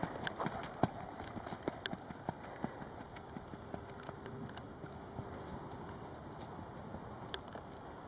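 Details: Charlie, an 11-year-old registered Tennessee Walking Horse standing 15.1 hands, under a rider; scattered sharp hoof clicks over a low rumbling outdoor background with a faint steady hum.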